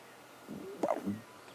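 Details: At sunrise on 27 March, a male leopard resting beside a freshly killed big ram in thick bush, alert for hyenas, gives a short, rough, throaty vocalization that rises briefly and then fades.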